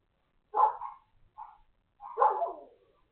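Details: Neighbour's dogs barking, recorded 3 February 2021 in the late morning: two loud harsh barks separated by a softer short bark, with silence between them.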